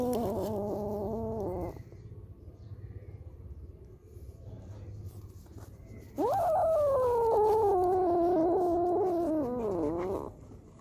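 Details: Cat meowing twice: a brief wavering mew at the start, a quiet gap with faint background hum, then a long, loud meow lasting about four seconds that slowly descends and bends at the end.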